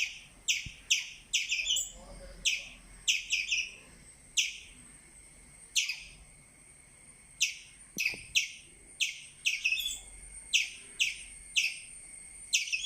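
A squirrel gives sharp, high chirps in quick bursts of two or three, over a steady thin insect-like whine.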